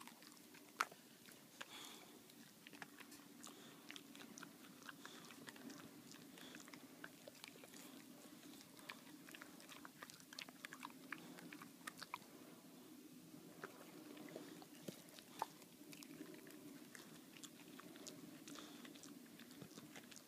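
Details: Boxer dog named Baxter working steadily at a bully bone, producing repeated crisp cracks and moist gnawing clicks at an uneven pace for twenty seconds, with no other clear sounds.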